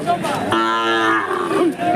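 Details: Hallikar cattle at a rain-hit cattle market, 20 October 2025; one steady, strongly harmonic moo lasting under a second, with voices and background noise around it.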